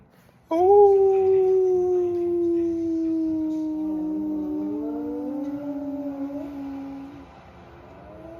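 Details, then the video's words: Pet dog howling in reply to its owner's howling. One long, steady, mournful howl lasting about six seconds, slowly sliding lower in pitch, with a second wavering voice rising beneath it before it fades out. "Howling at my dog to see what happens"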